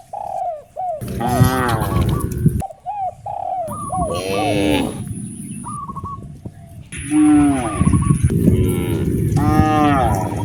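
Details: Cows (Bos taurus) roaming roads in search of fresh grass moo in long, harmonic-rich calls that overlap one another, with short bird-like coos between and people shouting nearby.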